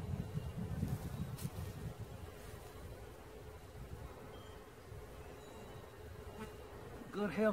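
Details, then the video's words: A swarm of honey bees during capture gives a continuous monotone hum that holds steady for several seconds over low rumbling noise; a short burst of human speech closes the recording. "Catching Bees start to finish bee swarm"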